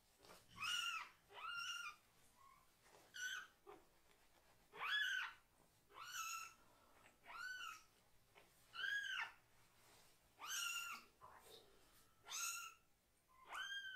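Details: Two rescued kitten siblings crying loudly while their bottoms are washed, angry but holding still: a steady run of about ten short, arched meows, roughly one per second, some overlapping faint softer squeaks.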